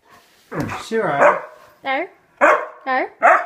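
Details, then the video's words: Indoor pet husky, a male that shares the home with another dog and a cat, complains after his owners leave. He gives a series of short, wavering, howl-like yowls and grumbles, about five bursts in three seconds. "Angry husky telling us off for leaving him"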